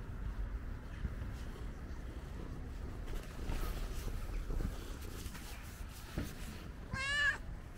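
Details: Curious ginger stray cat checking the camera gives one short, wavering meow near the end. Before it come several seconds of low, steady rumbling background noise.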